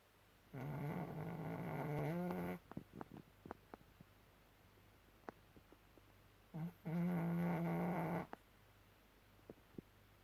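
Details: Small five-year-old Chihuahua sleeping and snoring like a grown man: two long, low, rasping droning snores of about two seconds each, separated by a pause filled with faint soft clicks and ticks.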